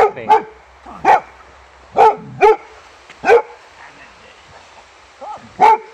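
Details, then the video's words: Boxer named Rex greeting an old friend, Anders, at a reunion a year after their first meeting; sharp broadband barks in irregular bursts, about seven over six seconds, with a quiet low hum beneath. "Happy Boxer Dog Cute Reunion When Greeting Old Friend"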